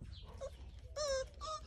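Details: Cane Corso dog giving two brief, tonal, high-pitched whining yelps. The first is longer and slightly falling in pitch; the second is shorter and follows after a short pause. A low background rumble runs throughout.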